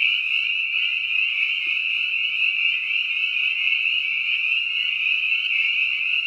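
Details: A chorus of spring peepers, not a lone frog, gives high piping peeps that merge into one continuous, shimmering wall of sound, the typical early-spring sound of Lincoln's ponds and wetlands.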